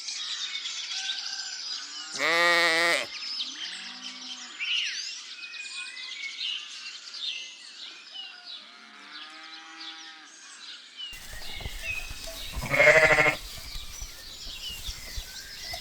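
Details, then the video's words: Two separate bleats, each short, harsh and buzzy, come roughly ten seconds apart from lambs grazing in a cool green forest. Varied bird chirps and trills fill the gaps, and the background noise shifts abruptly partway through. "Sounds of sheep bleating"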